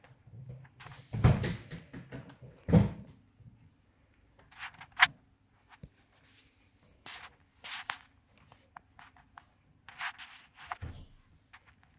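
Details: Scattered thumps, knocks and door-like bangs sound in a quiet room, with brief gaps of near silence.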